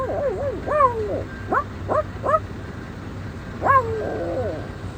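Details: Dog giving wavering, rising-and-falling whines, then three short sharp yips spaced about half a second apart, and a final looping whine, over a steady low hum.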